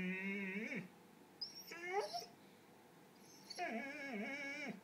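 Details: Red, a pet dog whose ball is stuck, makes three drawn-out tonal whines with bending pitch, like a yowling attempt at speech. Short pauses separate them, and a person talks quietly nearby.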